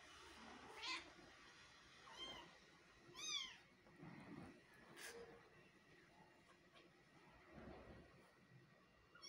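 A Persian cat gives a few short, rising meows, some with bright harmonic edges.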